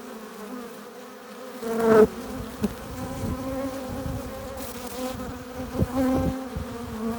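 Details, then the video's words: Bees entering their hive carrying pollen and nectar make a low, even drone that starts suddenly, with passing insects adding louder buzzy swells near two and six seconds and brief sharp ticks. "15 minutes of bee hive entrance! Relaxing sounds! Buzzing sound efects"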